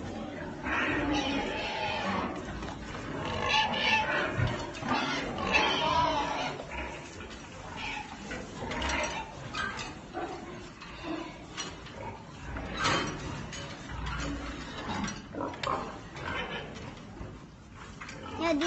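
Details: Belgian Pietrain pigs that have got out, snorting and grunting in quick, uneven bursts, more than two per second, some harsh and high-pitched, with a man talking in French in the background.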